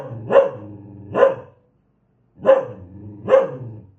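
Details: Aggressive dog barking: four sharp, harmonic barks in two pairs, with a low rumbling growl between them and a silent gap midway.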